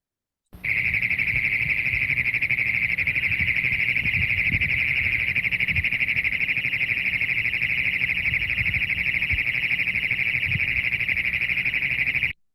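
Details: Great Plains toad giving a loud, wavering mechanical trill: one unbroken, fast-pulsed buzzing trill held at a steady high pitch for about twelve seconds, starting and stopping abruptly, with no other sounds.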